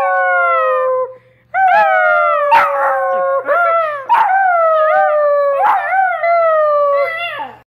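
Basset hound puppies howl in long, wavering tones, several voices overlapping with a person howling along.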